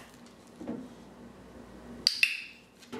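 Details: Glass and dishes clink sharply in a small room, with a soft knock early on and two bright ringing strikes near the end.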